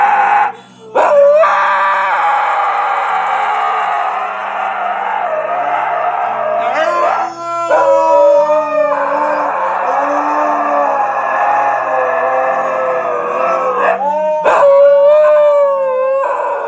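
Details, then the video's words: Siberian Husky throwing a tantrum while a Labrador reacts, giving long wavering howls that rise and fall, with sustained whining tones broken by brief yelps and a few abrupt breaks. "реакция лабрадора на истерику хаски"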